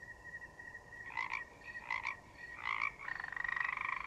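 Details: Frogs in a forest give three short nasal croaks about two-thirds of a second apart, then a longer pulsed rattling croak, set against a continuous high, even cricket tone.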